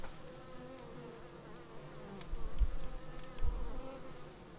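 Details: A short stretch of bees returning to their beehive on an action camera: a steady droning hum of wings, with a few nearer buzzing passes and two brief low knocks midway.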